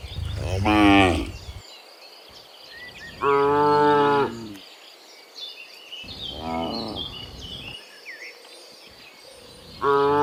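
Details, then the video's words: Dozens of cows walking home from the fields to the pen in the afternoon; repeated harmonic moos, each about a second long, some close and loud, others farther off, with chirping birds in the background. "Dozens of Moo Cows Walking Home from the Fields to the Pen in the Afternoon, Sound of Cows"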